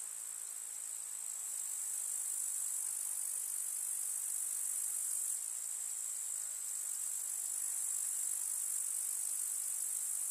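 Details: Countryside summer meadow chorus of grasshoppers: a steady, thin, very high-pitched rasping hiss of many overlapping insects, constant for ten seconds with small swells in loudness.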